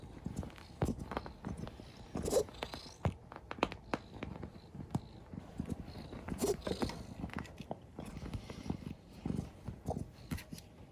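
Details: A tortoiseshell rescue cat has a reverse-sneeze-like fit, or perhaps hiccups, while kneading indoors; it soon settles. Short, harsh snorting bursts come in an uneven, rapid series for about eleven seconds, with soft rustling between them.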